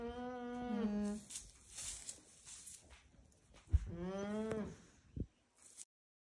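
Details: An alpaca on an alpaca farm gives two nasal, moaning calls, each steady then sliding slightly lower in pitch.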